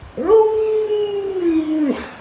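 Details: Pet Alaskan Malamute Luoluo howls beside an owner who is ill in bed: a sudden onset into a long, level sustained tone held for almost two seconds, sagging slightly and breaking off at the end.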